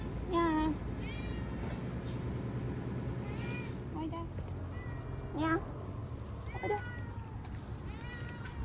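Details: Timid ear-tipped cat Chanta, old name Nyaa, crying while caught and sheltered indoors from Typhoon No. 10 in September 2020; repeated sharp meows at irregular intervals, a few loud and falling in pitch, over a noisy low background.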